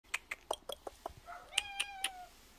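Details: A weak, elderly or sick feral cat at a rural house, barely able to open its eyes, makes a rapid run of short, clicky sounds while eagerly eating a lick treat, then a drawn-out, harmonic begging meow.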